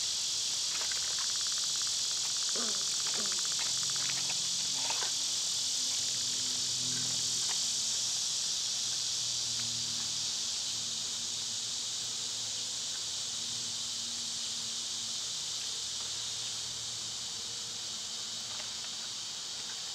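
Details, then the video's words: A dense, unbroken buzzing chorus of summer cicadas holds level throughout, with scattered faint clicks and a soft low rumble in the background. "Cicada sounds"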